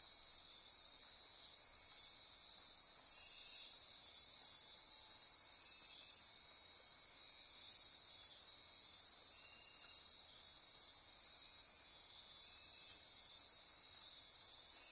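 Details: After-dark chorus of insects in Costa Rica's Osa Peninsula forest near Corcovado National Park: steady piercing high trilling with short buzzy bursts at intervals and a faint lower drone.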